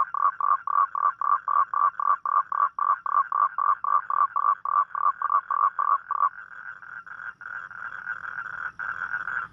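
A toad calls at night with fast, evenly spaced croaking pulses that merge into a steady trill.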